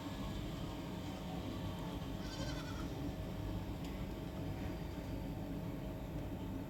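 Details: Farm-kept Kodi goat near Kovilpatti in Thoothukudi district, at Karisalkulam's Aparna goat farm selling pregnant goats; a single trembling, harmonic-rich bleat lasting under a second, partly buried in heavy low-frequency background noise with a sharp click afterward.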